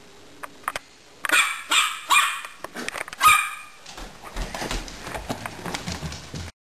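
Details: Pet dog playing with a hamster, letting out a quick burst of several sharp barks and yaps, followed by rustling and handling noises.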